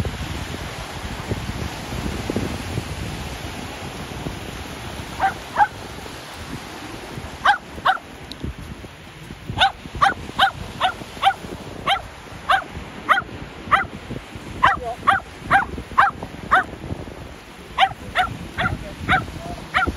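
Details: Shetland Sheepdog playing ball on the shore, barking excitedly in a long run of sharp, high yips that start sparse and become a steady, rapid volley, with wind and waves rumbling underneath.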